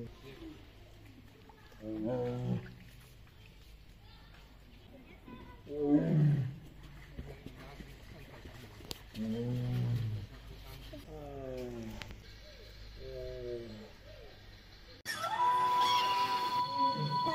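A Siberian tiger gives deep, throaty roars and moaning growls in separate bursts, followed by a short stretch of music.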